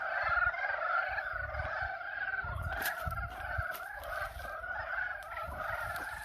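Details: A spring pond at Yulgok Arboretum holds a chorus of frogs calling to mate, with continuous overlapping croaks and trills, broken by a few sharp clicks and knocks near the middle and a low rumble underneath.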